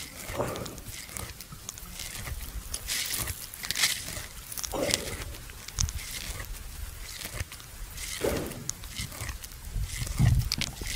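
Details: A buffalo lying at rest at noon in a farmer's field chews its cud with soft, irregular crunching and grinding sounds and quiet outdoor rustling.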